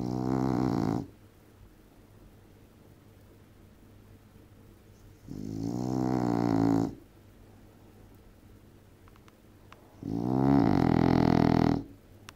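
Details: Loud snoring from a sleeping female English bulldog indoors: three long, rough, buzzing snores about every five seconds, each a sustained rattling breath with rich harmonics, separated by near silence.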